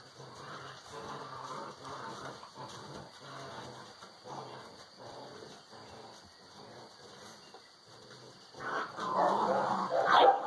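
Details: Six-week-old Alano Español puppies playing in a kennel, developing social behaviour; low rough growling and whining pulses repeat rapidly throughout, swelling into louder, higher yelps near the end.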